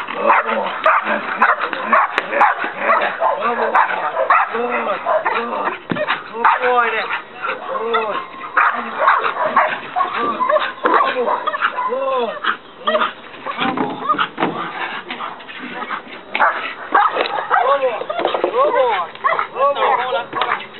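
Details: One-year-old Belgian Malinois named Dex in night bite training in Trinidad. Steady, fast runs of harsh barks fill the whole stretch, overlapping with a handler's shouted praise and background crowd noise.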